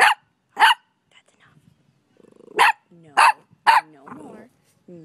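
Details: Five-month-old puppy giving five sharp, high barks in quick succession, mixed with a woman's voice speaking and exclaiming between the barks.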